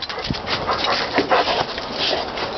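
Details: Jade, a hyper, playful pet dog and female, panting in quick breathy bursts while being coaxed toward a fence, with a woman calling her in the background.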